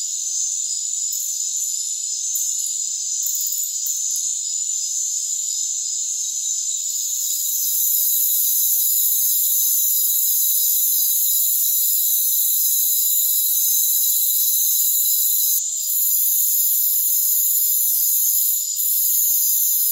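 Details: Rainforest crickets trill continuously in stacked shrill bands, growing somewhat louder and fuller after about seven seconds, with a couple of brief high clicks later and nothing in the lower range.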